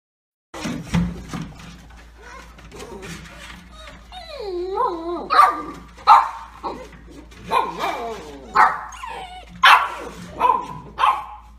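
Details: Golden Retriever from a 2017 funny-dog compilation, giving wavering whines and yelps that slide up and down, then a run of sharp harmonic barks roughly once a second, with a person speaking Russian nearby.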